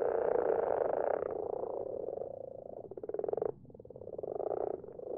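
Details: Common frogs in a garden pond, recorded at night, give a soft, low purring croak, with calls running together into a steady murmur; their numbers grow each year.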